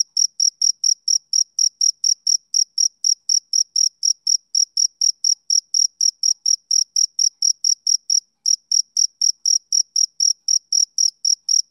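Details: A male cricket chirps rapidly and regularly, a shrill high trill of short bursts about four per second. A single brief gap falls two-thirds of the way through, and the background is otherwise silent.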